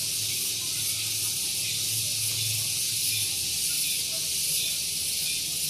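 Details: Loud morning cicada chorus on Gunung Geulis near Bogor, West Java, recorded close to a parking area: an unbroken shrill buzzing wash, slightly pulsing, over a soft low engine-like hum that swells in the middle.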